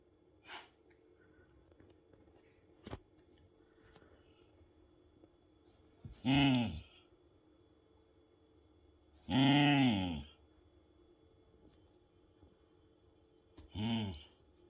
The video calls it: Cute beagle-harrier dog growling for attention